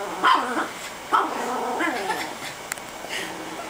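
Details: Chihuahua named Lilo guards her bone inside a couch and growls at a hand reaching to pet her. Two sharp yips start the clip, then a warbling, undulating growl runs on while a woman speaks in Japanese.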